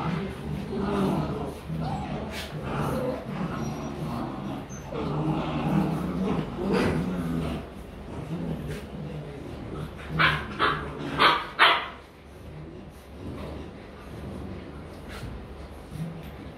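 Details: Rottweiler puppies of German line playing and mock-fighting in Vietnam; low grumbling growls through the first seconds, then a short burst of sharp high yips near the middle, quieter scuffling afterwards.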